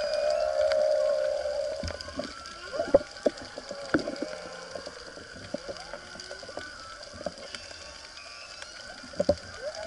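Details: Humpback whale (Megaptera novaeangliae) song heard underwater off Maui during spearfishing: a long, steady moan, then shorter wavering, swooping tones over reef crackle.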